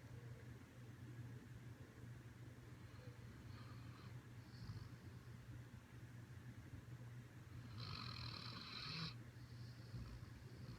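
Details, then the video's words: A Siberian Husky snoring while asleep, low rumbling breaths droning steadily under a faint background hiss, with a brief higher-pitched noise burst near the end. "Hilarious Video of Siberian Husky SNORING!!"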